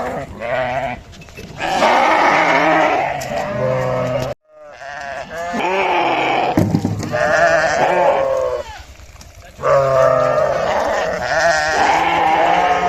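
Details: Several sheep bleating, with overlapping wavering cries of varied pitch, some long and loud, others shorter, nearly continuous and interrupted by a brief silence.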